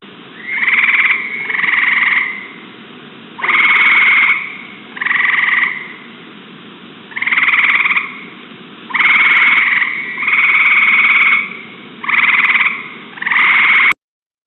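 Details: Northern gray tree frog, also called Cope's gray tree frog, from the New Jersey Pinelands in springtime, told apart from the look-alike southern gray tree frog only by voice; loud, buzzy trills about a second long come in irregular bursts.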